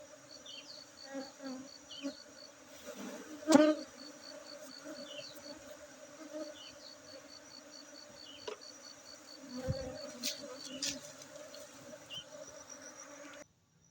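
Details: Honey bees at a honey bee centre in Aceh, Indonesia, humming in a continuous low buzz that rises sharply in one loud pass near four seconds, with rows of quick high ticks and a few thin chirps overhead.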